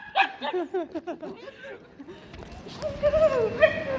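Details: Male Alaskan Klee Kai, a mini husky, greeting his owner at London Luton airport; a quick series of excited yelping, wavering whines, then a longer high, drawn-out whine near the end.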